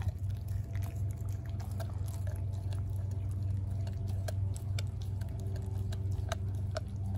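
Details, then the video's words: Denali, a 4-month-old American Blue Bay Shepherd puppy, chewing a raw turkey neck indoors: irregular wet crunches and sharp clicks, roughly two per second, over a steady low hum. "Puppy Eats Turkey Neck | ASMR"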